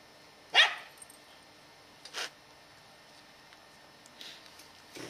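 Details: Scottish Terrier named Katie, ten years old, chasing squirrels in November 2008; one loud sharp bark followed by a softer bark about a second and a half later, then faint distant barks and outdoor background noise.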